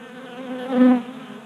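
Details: Honey bees feeding at a 3D-printed table-top feeder in a Colorado garage during a warm January spell; a steady harmonic wing hum swells loudly near the middle as one bee passes close, then fades back.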